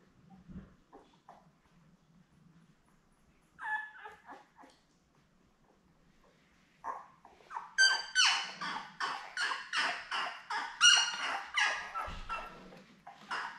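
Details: Seven newborn Labrador Retriever puppies, born May 24, 2021, with their mother Belle, on an indoor puppy cam on June 4. After quiet low shuffling and a brief squeal, a run of rapid, high, piercing squeals starts, repeated about twice a second.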